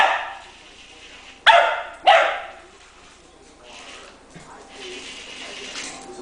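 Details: Puppy barking while playing indoors with a remote-controlled toy spider: two sharp, loud barks about half a second apart, then quieter rustling and faint voices in a small room.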